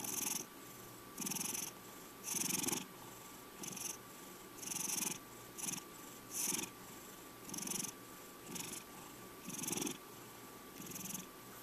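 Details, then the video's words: Purring from Checkers, a male house cat aged five, a soft buzzing rasp rising and falling with each breath, around ten regular pulses in a quiet room. "My Cat Purrring Over 2 Minutes!"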